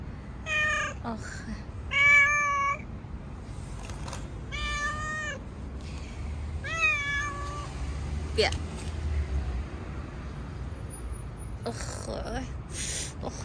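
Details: Stray street cat being petted outdoors in the owner's country, giving several clear, falling meows in the first seconds, then quieter rustling and traffic-like hum, with a few scratchy touches near the end.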